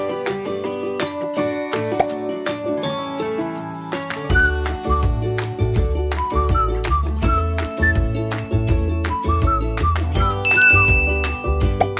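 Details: Upbeat music with chiming, tinkling melody and steady bass, with no animal sounds audible.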